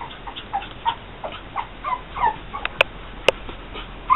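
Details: Pug puppies from the litter of Angel and sire Trinity's Zorro, born June 12, 2012, friendly and playful, give a run of short, thin squeaking whimpers, several per second, with two sharp clicks near the end.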